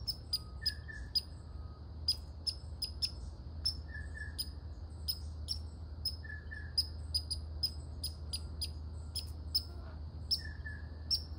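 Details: Red squirrel barking: a run of sharp, bright clicking chucks repeated irregularly, sometimes in quick pairs, with a few short mid-pitched squeaky notes between them over a steady low background rumble.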